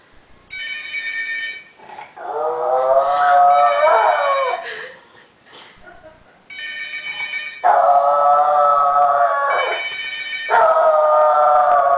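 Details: French Bulldog named Malfoy howling at a phone ringing: bursts of electronic ringing alternate with long wavering howls that rise and bend, then steady high-pitched ring tones return with the dog's drawn-out whining howl overlapping them.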